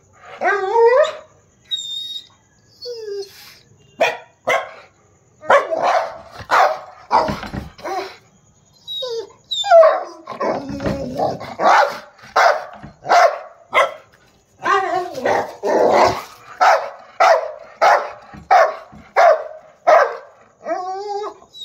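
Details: Rottweiler; bark; aggression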